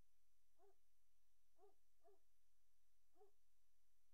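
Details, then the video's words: Short, yelping whimpers from Great Dane puppies inside a nursery on 03-04-2019 around 17:00; four brief squeaks, two of them close together, over a faint electrical hum. "Great Dane Puppy Nursery"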